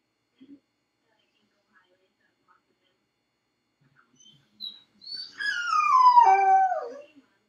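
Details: A dog named Felix, left alone in a dog crate on a second try at crate training, howls after a long quiet stretch: a descending, wavering cry with stacked harmonics near the end, preceded by a few faint whimpers.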